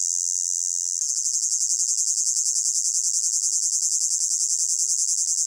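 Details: Summer meadow crickets in hot weather, a shrill continuous trill made of fast regular pulses; the texture shifts abruptly after one second as the chorus grows more evenly pulsed. Nothing else is heard.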